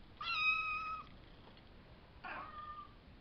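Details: Savannah kittens born April 22nd, filmed May 30th, from a litter of five by Kendi X Gargoyle: one sustained, even, clear meow rich in overtones, then after a pause a shorter, rougher mew.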